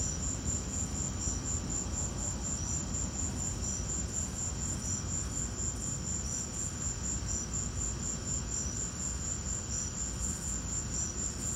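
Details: Crickets in a lightning storm sing a bright, high pulsed chirp repeated steadily through the whole stretch, over a soft broad rumbling background with no other clear sounds.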